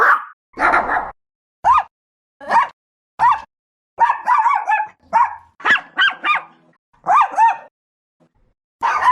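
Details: Chihuahua dogs giving shrill, sharp barks, singly and in quick pairs and triples, some with a yelping upward inflection, separated by brief silences.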